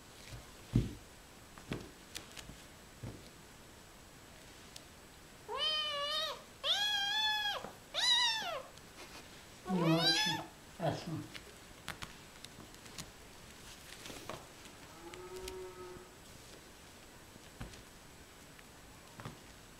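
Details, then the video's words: Kitten named Vasilisa giving a run of loud, drawn-out harmonic meows, several rising then falling, followed by a short quieter mew, with faint taps and rustling indoors. "Котенок Василиса,Funny kitten"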